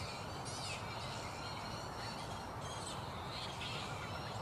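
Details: Colony of black flying foxes (Pteropus alecto) at a roost in mid-morning, still unsettled: scattered shrill, wavering squeals and squabbling calls rise above a continuous rustling, chattering background.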